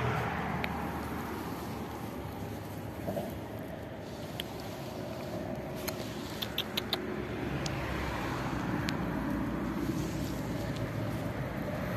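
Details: Steady low vehicle rumble with a few faint clicks and jingles, and no animal voice.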